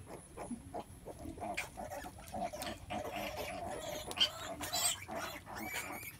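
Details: A mother pig giving birth, a sow, grunts in short, rough, repeated pulses with a steady low tone, running close together through the clip with faint scattered clicks behind.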